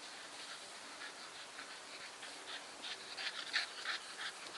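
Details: Staffordshire Bull Terrier named Nikita panting, a steady run of soft breathy huffs, roughly three per second, with faint whimpering hints and quiet indoor background.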